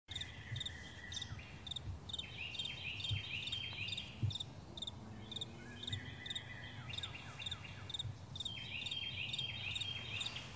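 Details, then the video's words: Crickets on a vast meadow in the morning: high, evenly spaced paired chirps, about two per second, under busy bird song with whistled descending phrases and a steady low rumble. "Morning Crickets"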